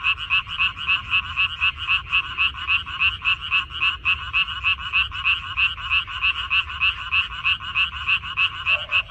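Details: Frogs in a water dropwort (minari) field, recorded 14 May 2021, croaking in a dense chorus: bright, rattling pulses repeated about three to four times a second, steady throughout, with a low hum beneath.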